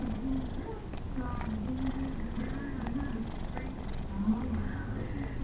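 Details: Rocco the cat purring as he is patted, a steady low rumbling with a voiced tonal layer, soft rustles and a quiet room behind.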